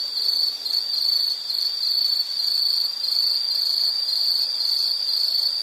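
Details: High, piercing insect trill from a nature-sound relaxation recording, running almost unbroken with slight rhythmic swells in loudness, no other voices or noises standing out.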